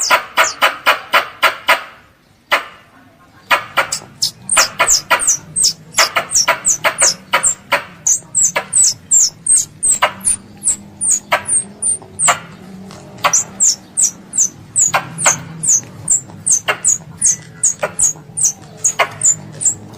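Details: Pest squirrel calling to its mother. The first seconds hold loud broadband rapid clicks, then a pause. Quick, thin, high chirps follow, each slurring downward and coming in close irregular bursts, mixed with scattered clicks.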